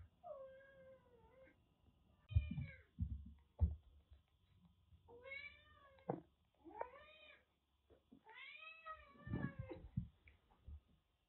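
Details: Rescued kitten with cat flu, found soaked during record heavy rain in western Japan, kept indoors in Kagoshima; a series of plaintive rising-falling meows, several drawn out, interspersed with soft thumps and handling noises in a quiet room.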